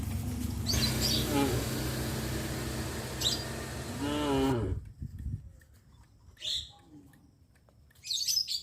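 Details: Cattle on a traditional village farm, out on the village streets: a long, drawn-out moo of about four seconds over heavy background noise, ending abruptly, followed by quieter scattered rustling and knocks.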